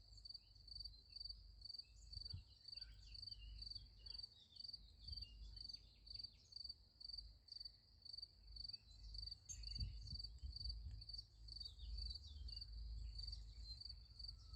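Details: Crickets calling at night next to a sunflower field: a continuous high-pitched, evenly pulsed chirping about twice a second, set against a steady low background rumble with occasional soft thumps.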